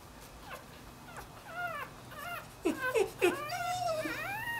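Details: A newborn Dachshund and Jack Russell cross pup, strayed from its mother, gives squeaky harmonic whines: short falling notes at first, then louder clustered cries and a longer sliding wail at the end, indoors, with a low hum.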